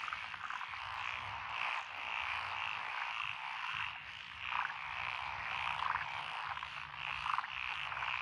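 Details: Frogs calling in lotus paddies beside a rural road in Echizen City, Fukui Prefecture, on 12 June 2021; a thick, continuous wall of rapid croaking with brighter trilled notes rising above it, plus a faint low hum beneath.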